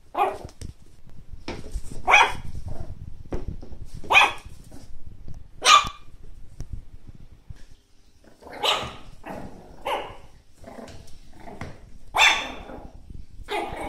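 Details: Chihuahua barking in a compilation of angry, happy and crying Chihuahuas: sharp high yaps spaced about two seconds apart at first, then a denser run of louder barks, with low rumbling noise underneath.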